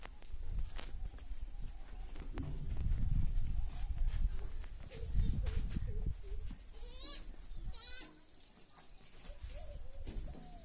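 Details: Saanen goats at a goat farm in India, males and kids: a few short wavering bleats with rising and falling harmonics late in the clip, over loud low rumbling, handling noise and farmyard bustle.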